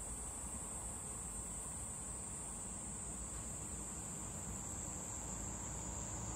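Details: High, level, droning whine of a cicada on a cherry tree, sounding without a break, the pitch wavering very slightly, over a low background rumble.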